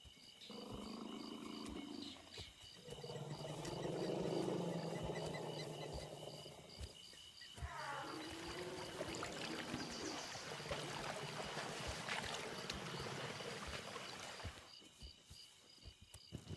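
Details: A female elephant in the forest gives low, harmonic rumbles that swell into loud, harsh bellows with rising sweeps, a mating call to draw in males during her few fertile days every 2 to 4 years.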